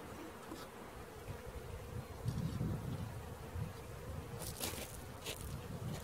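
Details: Honey bee swarm being caught, a steady low droning hum of many bees holding throughout, with scattered rustling and a few sharp knocks and clicks from handling near the end.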